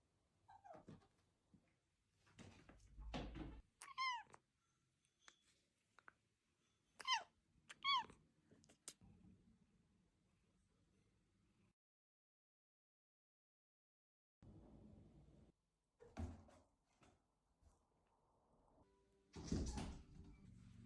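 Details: Cat meows indoors: several short rising-falling meows with bright harmonics in the first nine seconds, then a quiet gap, followed by scuffling, knocks and a louder burst near the end.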